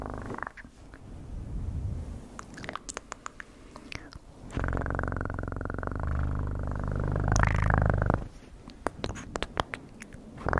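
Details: Purring cat in an ASMR recording: low, rapid vibrating rumble in two long stretches, framed by scattered clicks and light rustling.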